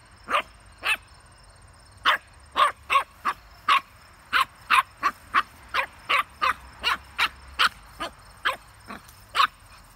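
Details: Playful puppy with a basketball barking steadily, about twenty sharp, clipped yaps over ten seconds, some doubled, at a lively, slightly uneven pace.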